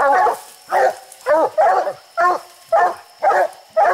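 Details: One of the hunting dogs barks treed on raccoons high in a tree, including one named Bandit wearing an orange collar; loud, evenly spaced barks follow each other about every half second.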